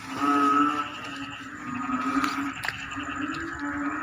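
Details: Frogs calling in rice fields as the rainy season arrives, sounding like a choir: a steady low droning hum with layered, ringing overtones and a brief burst of stacked pulsed notes near the start.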